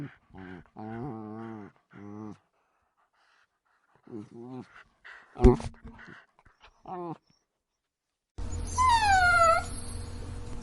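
A Dachshund gives short, wavering whines in quick bursts, ending in a long falling whine.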